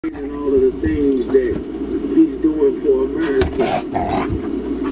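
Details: Dogs at play at a dog camp, with Tetra the Husky and Myla the Red Lab plus guests Cole, Gypsy and Gracie: wavering, moaning tonal grumbles rise and fall continuously, mixed with human voices and scuffling in the background.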